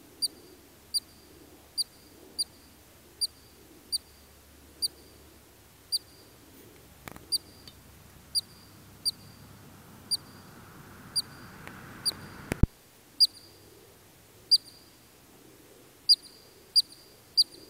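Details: In Alberta's Kananaskis Country, Canada, a Columbian ground squirrel repeats short piercing chirps roughly once a second, pausing while a hissing noise swells midway and ends in a sharp click, then the chirping resumes.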